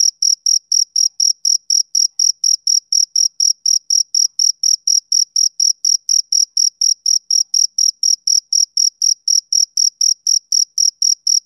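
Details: Summer-evening chirping of a male cricket, bright high-pitched pulses repeated about four times a second in an even, unbroken rhythm against silence.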